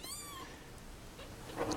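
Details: Mother cat with kittens, left in a box at a turnpike and now cared for indoors; a short, steady, high meow with strong harmonics opens the moment, then quiet room noise and a soft woman's voice.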